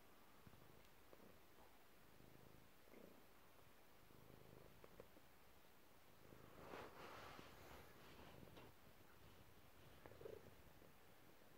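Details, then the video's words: Relaxed domestic cat purring indoors in a cluttered room; a quiet, low continuous rumble with soft rustling bursts around the middle. "Chilled cat"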